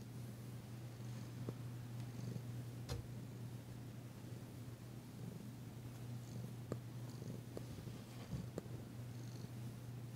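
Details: Indoor recording of Danci, a tentative female cat, purring under massage on February 9, 2022. A continuous low droning purr runs under occasional sharp clicks and light handling noises.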